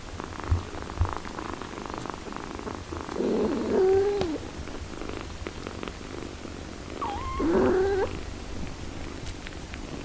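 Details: Mother cat caring for her six-day-old kittens while nursing them, a steady low purring rumble running throughout, with two short high mewing cries rising and falling near the middle and end.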